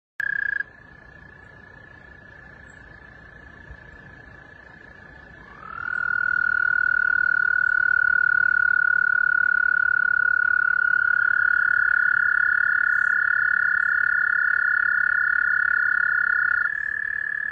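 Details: Frog calling in water, making the water vibrate: after a brief opening note and a quiet spell, a long, steady, high, even trill starts with a slight upward slide and holds unbroken to the end.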